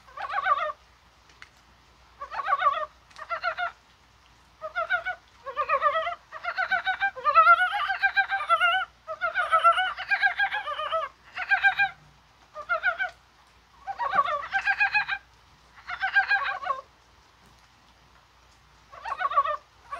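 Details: Mountain frogs calling on a rainy, spring-like January 21 day, possibly while spawning; bursts of rapid, pulsed, clucking croaks from several frogs overlap, in groups lasting about a second with short gaps between them.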